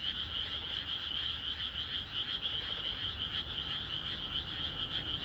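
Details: Many frogs call through a calm rural night. Their high, buzzy chorus runs without pause and beats gently in quick pulses, and no other animals or people are heard.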